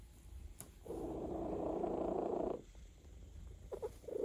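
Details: A male cat purrs contentedly during a massage: one steady, rumbling purr of close to two seconds, then a pause filled with light handling sounds and brief purr fragments at the end.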